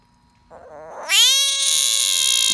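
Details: Captured East Texas bullfrog screaming: a faint wavering cry for half a second, then a sudden loud, high, harmonic wail that holds steady and shrill to the end.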